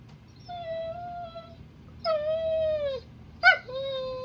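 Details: A male German Shorthaired Pointer whines again in long, steady, nasal tones, pleading for his tug toy, which his owner is holding.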